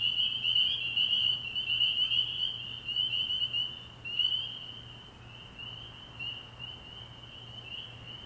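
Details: Night chorus of spring peepers at a frog pond early in the year, countless high piping peeps blending into one shrill ringing sheet that swells loud at first, then gradually softens, over a faint steady low hum.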